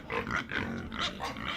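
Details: Pig giving a steady stream of rough grunts and short squealing snorts, closely packed with no gaps, mid-pitched and harsh throughout.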